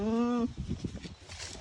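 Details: Young breeding buck goat from Gelang village, Keling district, Jepara, Central Java, Indonesia: a single strong harmonic bleat of about half a second, steady then rising at the end, followed by men talking in Javanese.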